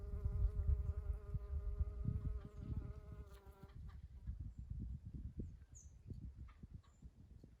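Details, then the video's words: Spring honey bee near Eastern Redbuds, a close, steady buzzing drone with a clear humming tone lasting nearly four seconds, then fading into soft rustling and low rumble, with a faint bird chirp later. "Relaxing Sounds of Honey Bees"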